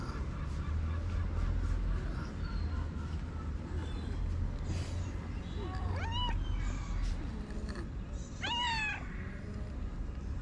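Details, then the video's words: Orange stray cat enjoying a massage outdoors; two short rising-falling meows near the end, several seconds apart, over steady low rumble and a woman's soft Vietnamese speech. "The cute orange cat enjoys my massage."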